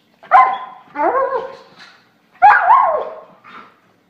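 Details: German Shorthaired Pointer, a pet dog, making two drawn-out, tonal, howl-like barks with wavering pitch, each followed by a softer trailing note.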